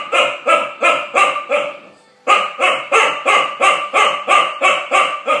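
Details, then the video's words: Eight-month-old female Chow Chow barking at a bulldog over his bone: rapid, sharp barks about three per second, with a short pause near the middle before the barking resumes just as steadily. "chow chow barking"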